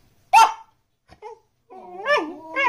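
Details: A Pembroke Welsh Corgi puppy named Ginger seeks attention while her owners eat, giving one sharp bark, a short pause, then a rising and falling string of whines, in a quiet indoor room.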